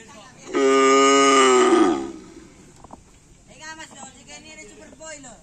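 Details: Karapan sapi racing cattle training in the afternoon on the field at Asemanis, Konduk Alas Predator team with Korban Perasaan; a strong, sustained moo of well over a second, evenly pitched then sagging at its close, followed by people talking nearby.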